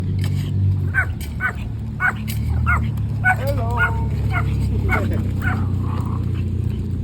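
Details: A Pomeranian on a morning walk at a sports hub gives short, high yips, about a dozen in quick bursts. A steady low rumble and people talking run underneath.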